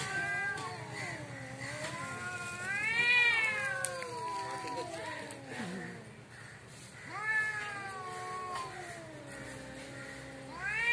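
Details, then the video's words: Cats fighting in front of the house trade long undulating caterwauls, one climbing into a strained high wail before sinking into a growly moan, then fresh rising howls after a brief lull. "cat fitting l বাড়ির সামনে বিড়াল এর jhokra"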